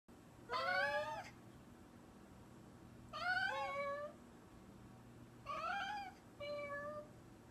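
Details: Cat meowing in a quiet setting: three drawn-out, wavering meows roughly every two and a half seconds, the last followed by a shorter, flatter one.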